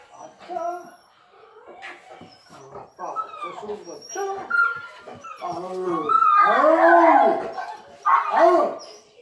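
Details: Dog at an emotional reunion, giving rising and falling whines and yelps that swell into a loud, arching, excited whimper near the end, with human voices and an exclaimed "Oh!" mixed in.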